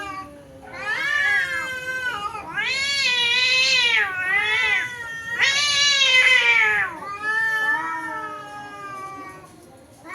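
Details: A domestic house cat fights an outside cat in a garden thicket, trading long, harmonic, wavering yowls that swell and slide up and down for seconds each, in overlapping caterwauling bursts with brief pauses.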